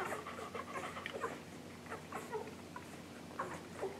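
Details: Nursing English Golden Retriever puppies under a week old, Maddie and Jazz's litter, filmed July 15, 2012; short high squeaks and little whimpering peeps rise over soft suckling and grunting noises.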